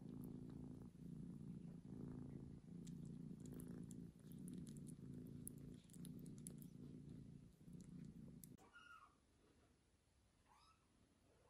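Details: A newborn kitten after birth purrs in a low, even throb of repeated breaths for about eight seconds, then falls quiet; two brief high squeaky mews follow near the end.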